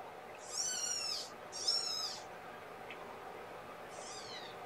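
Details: Kittens, a litter of five born April 14th to mother cat Gamora, during a morning feeding with KMR formula on 2018-05-01, indoors; three thin, high, arched mews, two close together and then one more after a pause, over steady low hiss.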